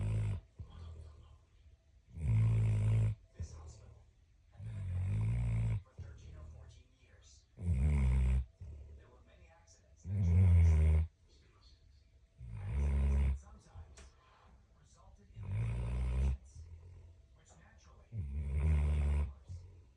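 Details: Dog asleep, snoring steadily in a quiet room: deep, rumbling, rattling inhales repeat roughly every two and a half seconds, alternating with quieter wheezy outbreaths, a slow even rhythm throughout.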